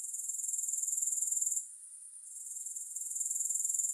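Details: Grasshoppers recorded for sleep and focus, heard as a softer high trill of quick pulses that fades in the middle of the clip, pauses for a moment, then swells back to a steady chirr.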